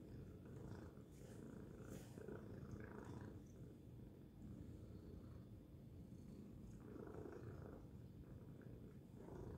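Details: Loud purring from Tacy the cat, a dense low throbbing rumble held without break, with brief soft higher rustling near the start and end.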